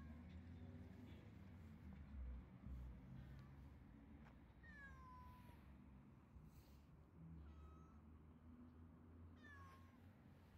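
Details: Stray cat giving three short, quiet meows spaced a few seconds apart, each a brief falling whine, over a steady low rumble of background noise.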